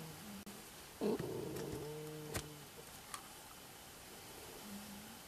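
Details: Sleeping pet anteater named Aurora snores, giving one drawn-out, tonal, wheezy squeak that slides gently downward, with a few faint softer squeaks before and after in a quiet room.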